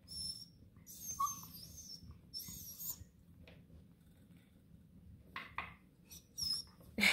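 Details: A Bluetick Coonhound puppy, excited about his treat bone on a bed, gives thin, high whines and squeaks in short excited bursts.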